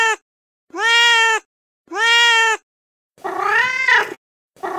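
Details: Young male stray cat calling for a female in heat with loud, sustained meows: two steady, clean-toned cries followed by a rougher, wavering, more strained yowl, then the start of another, separated by short silences.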